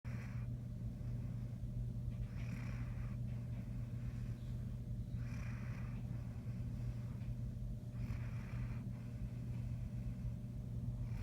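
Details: Great Dane named Sarge snoring, low rumbling breaths in slow bursts about every three seconds over a steady low hum.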